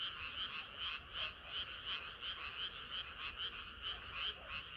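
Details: A chorus of frogs on a warm summer night, short croaks pulsing in quick succession, roughly three per second, layered into a continuous rhythmic throb.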